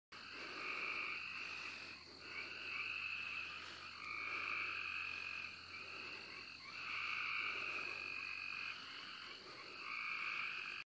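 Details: Frogs and insects calling at night in a natural setting: a dense chorus of trilled croaks swells and fades every two seconds or so over a steady, high-pitched insect buzz.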